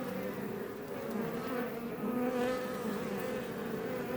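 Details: Honey bees of the Iberian subspecies buzzing close up outside a Langstroth box hive west of Roquetes, Catalonia; dense continuous hum with a few brighter whining tones sliding up and down as single bees fly near.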